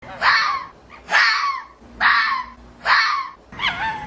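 A fox gives a series of harsh, hoarse screaming calls, each about a second apart.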